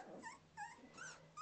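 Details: Samoyed puppies, 2.5 weeks old, learning to walk, recorded December 13, 2009; four short, high, squeaky whimpers, each bending up then down, spaced about every third of a second over a faint hiss.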